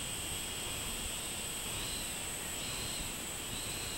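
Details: Robust cicada (minminzemi) song recorded 24 July 2016. A constant piercing high drone is overlaid by a buzzy mid-high band that rises and falls in slow repeated swells. Steady background hiss fills the low range.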